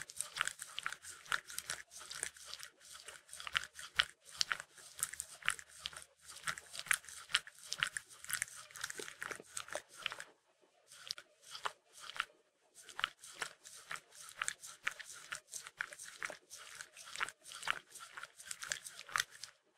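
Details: Shetland Sheepdog, a pet Sheltie, licking peanut butter: rapid wet smacking licks and clicks, several per second, continuing steadily with a brief pause near the middle, recorded close up indoors.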